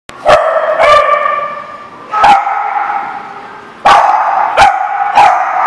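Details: A dog barking, recorded 25 April 2014: sharp, loud barks, some single and some in pairs, six in under six seconds, with a steady background hum between them.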